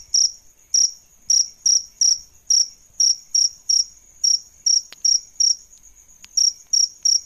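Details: Bright, high chirps from adult male and female crickets used as tutors for songbirds, spaced irregularly with short gaps, a faint click heard among them.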